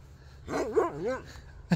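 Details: An old Siberian Husky recovering from illness gives a short warbling vocalization, about three quarters of a second long, with a wavy, rising and falling pitch in a few quick swoops, like dog 'talking', in a quiet setting.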